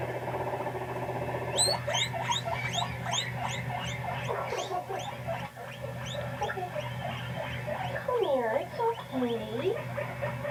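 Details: Pet guinea pig named Panda making noises while reacting to videos: a run of short, squeaky, rising notes repeated about three times a second. A steady electrical hum runs underneath, and wavering sliding tones appear near the end.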